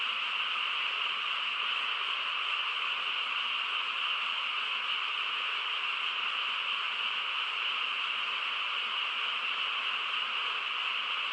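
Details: Dense frog chorus in the countryside at night, a continuous shimmering drone of overlapping calls holding an even level throughout, with no other sounds breaking through.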